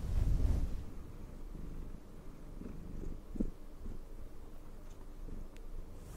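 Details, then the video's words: ['Cat purring while being groomed with a brush, a soft low rumbling vibration with a louder rustle at the start and light brushing sounds.'] "cat purring and brushing"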